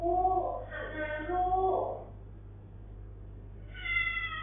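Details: A talkative British Shorthair cat grumbling at length gives a long, wavering meow, then starts another.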